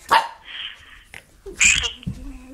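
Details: Pet dog whining and yelping, eager to talk to grandma on the phone; a short high yelp, then a thin sustained whine and more yelps, with a woman speaking nearby.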